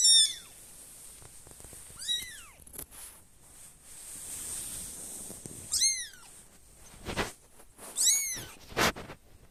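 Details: Young kitten from a litter of five searching for its siblings, giving four high, thin downward-sliding mews a few seconds apart, with soft thumps and rustling handling noises between them.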